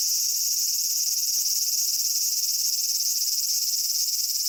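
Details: Cicadas in a Japanese summer at Michinoku Folk Village and Kitakami Tenshochi, Kitakami, Japan, day to dusk: a dense, steady high-pitched buzzing chorus with a fine rapid pulsing, continuous throughout, plus one brief faint click.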